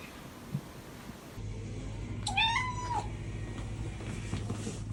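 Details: Cute cat's single drawn-out meow that rises and then falls, with rich harmonics, lasting under a second amid a low steady indoor hum.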